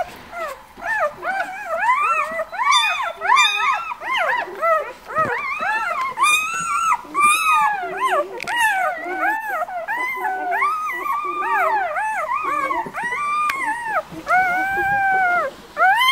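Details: A litter of White Swiss Shepherd puppies, born 11 August at a breeder's kennel, crying together in loud, bending whimpers and short yelps that rise and drop, tumbling over one another almost without pause.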